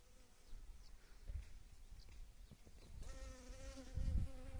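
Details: Honey bee visiting yellow wild mustard blooms after spring rains; low rumbling handling noise at first, then a sustained, even buzz starts abruptly and holds to the end over soft thumps.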